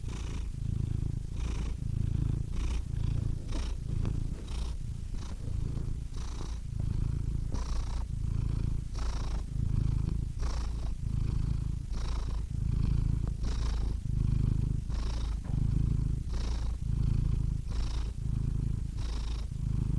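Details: Continuous cat purr, deep and rumbling, pulsing in quick breath cycles under a soft airy hiss, steady throughout without pauses.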